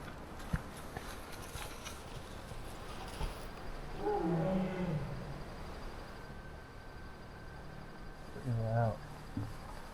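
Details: Two Bengal tigers trade deep, moaning calls to each other at midnight just outside a jungle camp in Nepal's remote Babai River Valley while a man speaks quietly from his tent; Bengal tiger.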